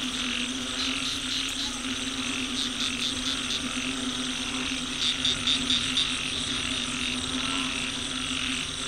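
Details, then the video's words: Many frogs calling at once near a road, recorded with an old smartphone; bursts of quick high pulsed notes come in groups of four or five over a continuous humming background. "Frog Symphony"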